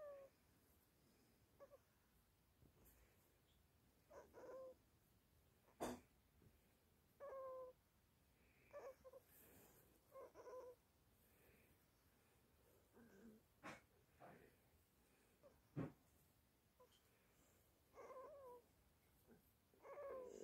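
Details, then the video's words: Exhausted teething Chihuahua puppy Toby crying through a sleepless night: scattered faint high whines, some falling, others short yelps, spread unevenly over twenty seconds with occasional clicks and rustles indoors. "Teething chihuahua puppy"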